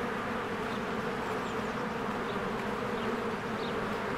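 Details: Many honeybees at a spring beehive give a dense, steady buzzing hum, with a few thin, brief bird chirps flicking high over the drone.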